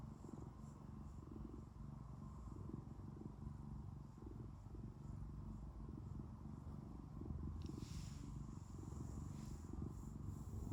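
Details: Indoor pet cat giving a dense, continuous low purr, evenly rumbling throughout, with a brief rustle about two-thirds of the way in.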